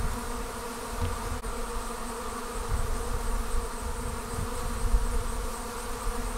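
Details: Honey bees pouring out of their hive to form a swarm, a constant layered hum of countless wings, with rumbling low-pitched buffeting and soft thumps underneath the drone.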